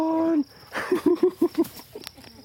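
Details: A female Labrador Retriever gives a drawn-out moan, then a quick run of short, rising woo-woo sounds in greeting, her usual "hello" when people pull up and get out of the car.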